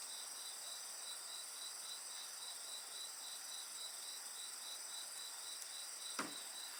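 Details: A continuous insect chorus of fast, pulsing high-pitched trills, unbroken for the whole stretch, accompanied by the soft hiss of a bonfire and one loud wood crack near the end.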